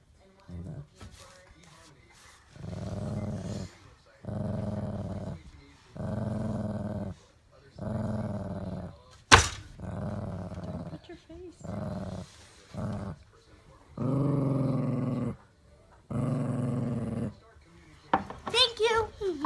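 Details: Daisy, a pet dog, growls steadily at a child reaching for her bone indoors: a long run of low rumbling growls in regular bursts, one sharp clap-like sound midway, and higher yelping notes at the very end.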